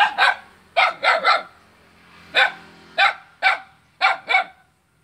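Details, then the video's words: Barking dog on Jalan Kolonel Sugiono, Kapuas, Indonesia, aimed at its own neighbour, Saturday 5 August 2017: ten hoarse barks in pairs and triplets over five seconds, each trailing into a faint echo. "Seekor anjing menggonggong pada tetangganya sendiri"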